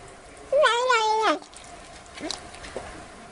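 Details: A single drawn-out meow from a domestic cat, heard as a mouse-chasing sound, rising then falling over almost one second, followed by faint soft rustles.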